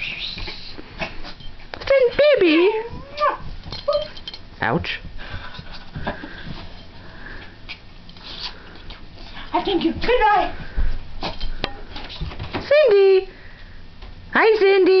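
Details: Pet dog howling along with a girl indoors in January 2007: wavering, sliding howls that rise and fall in pitch, several long drawn-out notes, mixed with the girl's voice and household noise.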